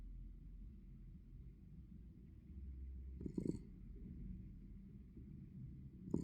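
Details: Norman, a sleeping Norwich Terrier, snores softly: a low, steady rumbling breath running throughout, with a brief louder rustling burst near the middle and another at the very end.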